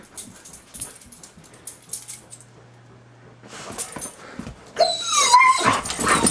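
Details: White huskies indoors, frantic after spotting a deer in the front yard, running around the house and onto furniture to look out the windows; scuffling and thumps first, then a short, high, wavering whine rising near the end.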